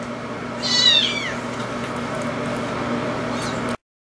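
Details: Hungry two-week-old kitten, one of a bottle-raised litter abandoned by its mother, gives a single high, downward-curving meow near the start at feeding time, followed by quiet indoor hiss until the sound cuts off.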